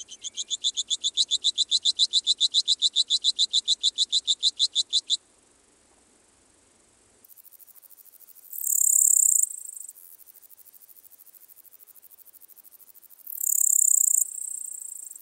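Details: Littoral Dark Bush-cricket at Seewiesen, Germany, 11 July 2023, producing a steady run of sharp, very high ticking pulses for about five seconds, followed by silence and two brief bright hissing bursts later on.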